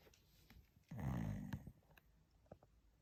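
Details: A sleeping dog snores: one deep, rumbling breath lasting about a second, low and rough with stacked harmonics, then quiet with small clicks.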